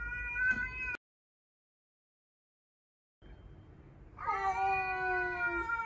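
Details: A stray cat confronting house cats, among them the only male of five rescued cats, whose tail puffs up; a short yowl, a silent gap, then a long yowl that swells upward and holds its pitch.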